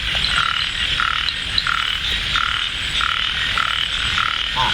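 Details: Frogs heard in light rain during a frog hunt at Ban Na Suang, Det Udom, Ubon Ratchathani, Thailand; short croaks repeat roughly every second over a constant high chorus, with a man's voice briefly at the end.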